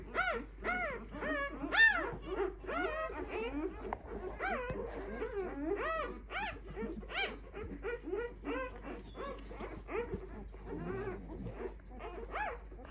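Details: Five-day-old Clumber Spaniel pups squeal in busy overlapping arched whines that thin out and soften toward the end into quieter, lower murmurs and squeaks.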